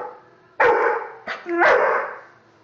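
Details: Pet puppy barking: two loud, harsh barks with a short clipped yelp between them, then quiet.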